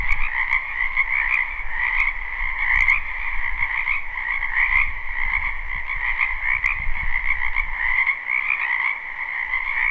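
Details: Many wild frogs croaking in a spring wetland behind a house, recorded live at night: a dense, steady chorus of overlapping trills in two bands, one lower and one higher, with occasional sharp clicks and a low rumble underneath.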